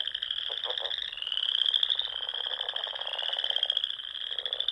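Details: Spring chorus of frogs at dusk in the Sandhills of Nebraska, among small lakes and ponds: dense, continuous high trilling from many callers, with a few lower pulsed croaks breaking through near the start and end.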